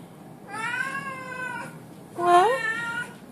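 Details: Male blue Oriental Shorthair cat indoors talking to its cat sitter: two long harmonic meows, the first steady and drawn out, the second rising then falling, with a woman speaking softly nearby.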